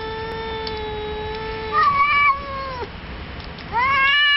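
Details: Night-time gathering of cats singing: a steady, long-held moaning tone gives way to a louder wavering wail, then a rising yowl starts again, the cries trading back and forth.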